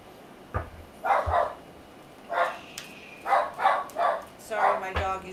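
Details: Pet dog barking indoors: short, rough barks in small clusters spaced about a second apart, with soft knocks and faint talking in the room.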